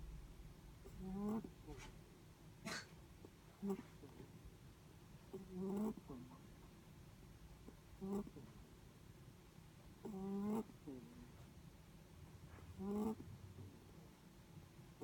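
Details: Netherland Dwarf rabbit sleeping, giving a series of soft tonal snores about every two to three seconds, some faint, with a few small clicks between breaths.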